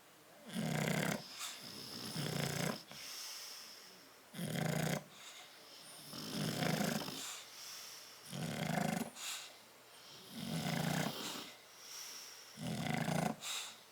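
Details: Crated bulldogs Tyson and Tyra, asleep on 10/30/12, produce a long run of deep, fluttering snores alternating with breathy hisses, about seven snores in steady rhythm near two-second intervals.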